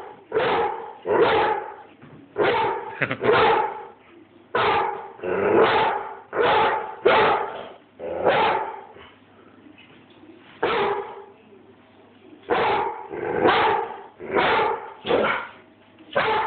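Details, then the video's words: Airedale Terrier named Bruno barking at the phone-holder, recorded on an Android phone; bursts of sharp, rough barks come in clusters of two or three, broken by brief quiet gaps, continuing steadily over sixteen seconds. "BRUNO, THE AIRDALE BARKING AT MOI"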